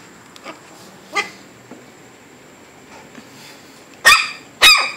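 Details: Shih Tzu puppies almost 8 weeks old, indoors. Faint soft whimpers and little yips come first. Near the end, two loud, high, piercing yips sound half a second apart, each a brief sharp burst with a falling tail.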